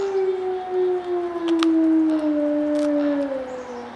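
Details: In February, a captive gray wolf gives a long, steady defensive howl that slides slowly downward in reply to sled dogs barking and howling across the road, while another wolf chews a deer leg in the foreground.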